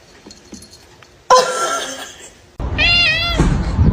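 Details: A pet cat gives a brief, clear meow that rises slightly, then falls. It comes after choppy edited noise and a loud knock, with background rumble underneath.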